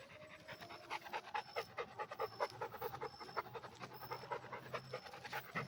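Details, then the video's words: Heavy, regular panting of a red Pit Bull dog, breathy puffs pulsing about twice per second at steady strength, a faint low hum and intermittent high tones underneath. "Pitbull red dog"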